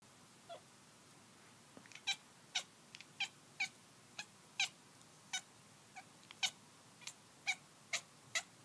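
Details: Kitten on the hunt making weird noises: a run of short, sharp, clicky chirps, roughly two each second, high-pitched and dry, in a quiet indoor setting.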